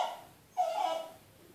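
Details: Ishot, a Smooth Fox Terrier, whimpers like a child, pleading to go outside where he hears children playing. A single sustained, steady high whine, preceded by the fading tail of an earlier cry.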